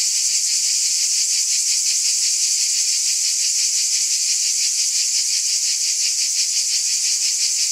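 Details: Chorus of cicadas after dark in summer: a shrill, constant rasping hum with a quick steady pulse, level and uninterrupted, with no other sounds.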